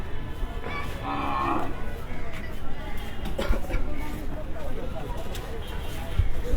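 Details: Cattle arriving between two and three at night at a Dhaka cattle market before Qurbani, some brought from Kushtia; a low moo sounds amid men's talk, crowd murmur and rumbling background noise.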